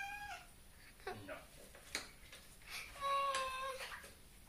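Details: Pet cat unhappy about being bathed, trying to get out of the water the whole time; a short meow at first, then a longer steady, tonal meow, with water sloshing and faint human voices.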